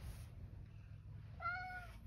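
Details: Male rescue cat calling from outside to have the door opened, though it can get in by itself; one clear tonal meow near the end, steady and slightly falling, over a soft low indoor rumble.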